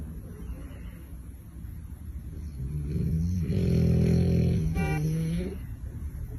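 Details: Sleeping dog snoring: a low, droning rasp with stacked tones that swells in the middle, and a second softer rumbling breath near the end, steady background hum throughout.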